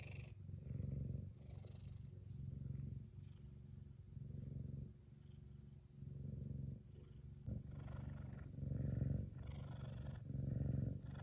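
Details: A happy male F2 Savannah cat purrs loudly and steadily in a deep, rumbling rhythm that swells and fades with each breath.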